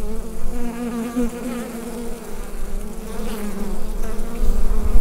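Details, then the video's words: Bees inside a hive, recorded with a Rode NT-USB microphone: a steady, dense, low droning hum with a wavering overtone band, swelling slightly louder toward the end. "Bee Hive Sound Effect"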